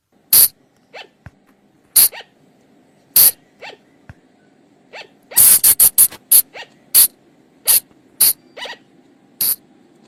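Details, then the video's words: Night lure sound of the flying lemur, recorded in the forest: loud, sharp, rasping bursts spaced roughly a second apart, a dense cluster near the middle, and softer upswept harmonic notes between them over a low background hum. "เสียงต่อบ่างป่า หรือพุงจง,พะจง flying lemur sound"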